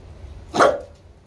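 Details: Olde English bulldogge barking on command during training: one short, sharp bark rising and fading within a fraction of a second, with the command "watch" spoken just before and after.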